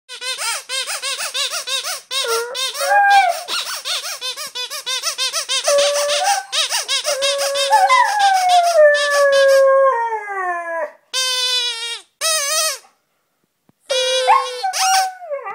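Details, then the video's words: Delta, a Siberian Husky, sings on 17 January 2011. Long, wavering tonal howls slide up and down in pitch, some held steady and others bending downward. Short broken yelps and brief silences fall between the phrases. "Delta the Singing Husky"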